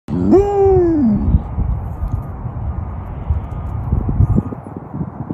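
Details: Samoyed dog lets out a short "awooo" howl lasting about a second that slides up, holds, then falls away, followed by several seconds of rustling and shuffling noise.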